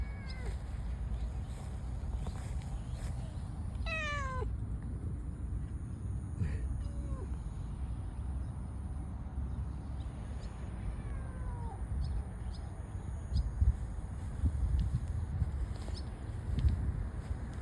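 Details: Large orange stray cat alone among flowers, meowing; several clear descending meows, a long drawn-out one near four seconds and shorter ones at intervals after, over a steady low rumbling background.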